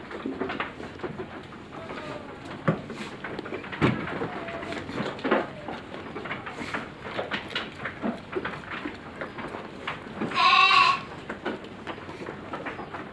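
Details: Goat among stock due for harvest in five days, fed on fermented feed, giving one loud, wavering, nasal bleat of about half a second partway through, set against constant knocking, clattering and shuffling in the pen.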